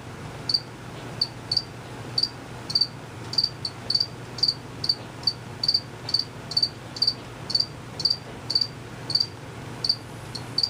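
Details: Crickets chirping out of sight; only males chirp, by moving their wings quickly. Short high-pitched chirps repeat about every half second, some doubled, over a low steady hum.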